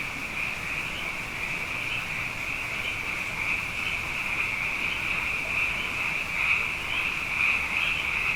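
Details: Many frogs, abundant after two wet years in a row, calling at night: a dense, unbroken chorus of high, shimmering trills blending into one steady wall of sound, with slight swells in loudness and no pauses.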